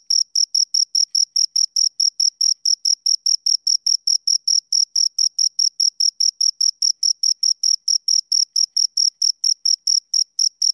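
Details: Rapid repeated chirping by two crickets, high thin pulses ticking about four times per second in a long regular series, consistent volume, faint higher harmonic, quiet surroundings.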